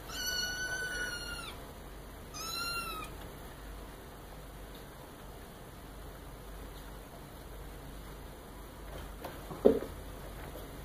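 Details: A one-month-old red marbled Maine Coon kitten, at home and being litter-trained, gives two high, thin meows, the first drawn out and the second shorter.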